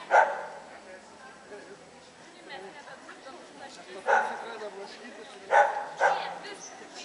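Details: Samoyeds at a CACIB dog show in Lithuania, 25 October 2009: four sharp, harmonic barks, one at the start and three spaced near the end, over a steady murmur of crowd chatter.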